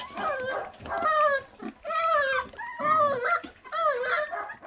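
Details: Young feral dog, born to a stray mother that neglects her pups, whining while eating. Five drawn-out, tonal, quavering whines about a second apart, each sliding slightly upward, with soft bumps and low background noise.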